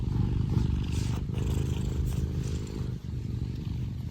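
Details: Affectionate Scottish Fold cat named Tino purring at full engine-like strength: a deep, continuous rumbling throb with steady pulsing, only faint soft rustles above it.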